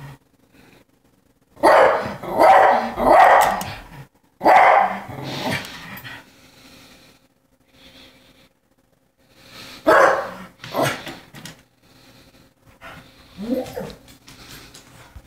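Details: Cocker Spaniel calling out to the neighbourhood squirrel, wanting to play: bursts of loud, rough barks in quick groups, quiet gaps between, then a later cluster of barks and a short whining yelp near the end.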